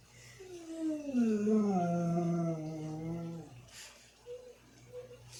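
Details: A dog, left home while its family went to the store, gives a long, moaning howl that slides down in pitch, then two faint short whines.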